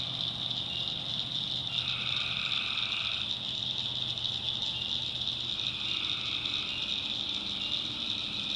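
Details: North Carolina swamp at night with tree frogs: a continuous shrill, high chorus and a couple of lower droning trills of about a second each, plus faint low background rumble.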